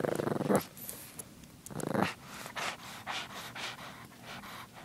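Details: Female pug puppy giving two short throaty growls about a second apart, each rough and rumbling, followed by quieter snorting, snuffling breaths and light rustling close by.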